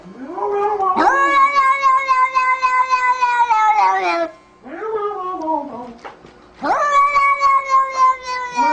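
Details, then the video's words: House cat caterwauling loudly indoors: three long, wavering, harmonic yowls, the first held for about three seconds, a shorter middle wail that dips downward, then another sustained loud cry. "Funny cats compilation!!!"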